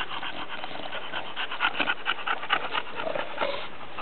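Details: Two pet female bulldogs, Emma and Bibi, give a short burst of snuffling, breathy snorts, irregular and raspy, rising slightly in loudness midway, with steady background hiss throughout.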